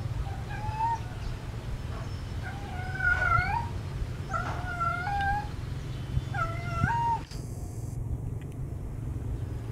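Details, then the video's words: Domestic cat in heat calling for a mate: a series of short, wavering, nasal meows, each rising then bending down, repeated about once a second over a steady low hum, ending in a brief click. "Suara Kucing Kasmaran Mencari Pasangan"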